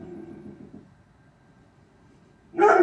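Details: A dog gives one abrupt, loud, full-throated bark after a low muffled rumble and quiet pause; the dog is only about 8 feet from a bedroom window.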